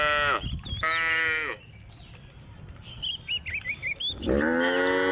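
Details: Tame cows on a road call to their friends with two drawn-out moos, then a quiet gap filled by twittering birds, followed by another strong, sustained moo.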